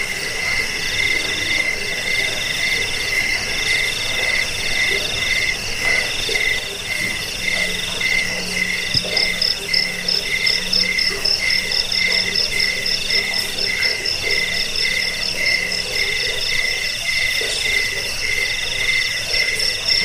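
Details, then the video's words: A chorus of crickets, used as a rat repellent, sleep aid and tutor sound for cage birds; layered bands of rapid pulsed chirping at two pitches, with a faster trill rising in the middle and a faint low hum. "Suara jangkik pengusir tikus pengantar tidur"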